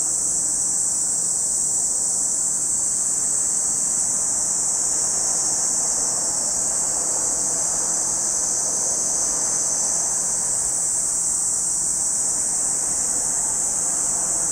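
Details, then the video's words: At Lake Kamo in Sado City, Niigata Prefecture, Japan, massed cicadas keep up a continuous, hissing high drone, slightly swelling and fading, over a faint low rumble resembling distant traffic. "Lake Kamo in Sado City, Niigata Prefecture, Japan, where you can hear the voice of cicadas."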